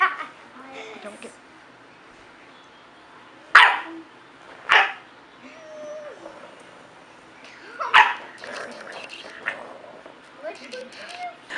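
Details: Dog named Marshall, being asked if he is mad at mommy, gives three loud single barks spaced several seconds apart, with soft grumbling whines and a woman's voice between them.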